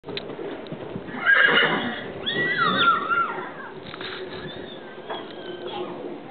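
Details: Registered Tennessee Walking Horse, a smooth-gaited trail horse, whinnies in a loud descending neigh with wavering harmonics around one and a half seconds in, then a second shaky whinny, with faint hoof clops and voices.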